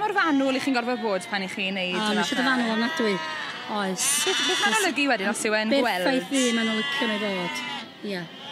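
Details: Welsh Black Mountain sheep giving rapid, overlapping bleats, several animals at once, each call shaky and wavering, repeated almost nonstop with a short quieter gap near the end.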